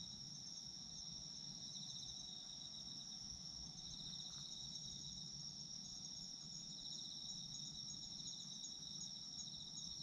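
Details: Autumn insects singing as a sleep soundscape: two steady high-pitched trilling bands running unbroken throughout, dense and even, with a low murmur of ambient noise underneath.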